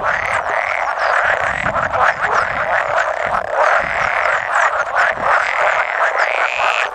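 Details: A dense chorus of about 100 male pool frogs at spawning and egg-laying on 16 May 2017, overlapping rattling croaks forming a continuous wall of sound, with occasional edible frog croaks mixed in.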